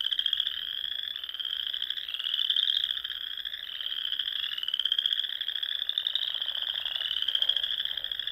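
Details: Many wild frogs singing at dusk among the ponds of Nebraska's Sandhills dunes in spring: a dense, unbroken chorus of high trilled pulses that swells and fades in waves every second or two, with no other sounds.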